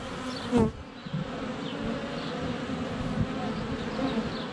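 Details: Close-up buzzing of honey bees swarming a hive entrance on a sunny February day, recorded on a GoPro Hero 7 Black; a loud bump early as a bee strikes the camera, then an even humming drone with faint distant birdsong.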